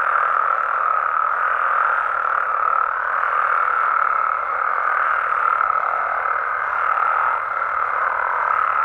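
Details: Nighttime chorus of Mexican frogs and toads in their natural habitat, many callers overlapping into a continuous mid-pitched buzzing roar that swells slightly around six to seven seconds, without pauses.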